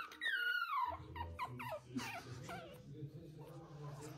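A Pomeranian puppy gives a high, falling whine, followed by people talking indoors.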